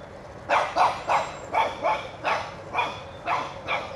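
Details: A one-year-old Shih Tzu puppy chasing a whitetail deer out of his yard barks in sharp bursts, about eight barks in four seconds, outdoors.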